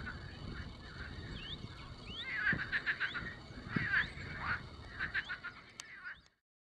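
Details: Frogs calling among apple trees on 26 April 2013: short rough pulsed croaks repeated in quick bursts, several overlapping, with a few clicks and faint rustling before a sudden cut to silence.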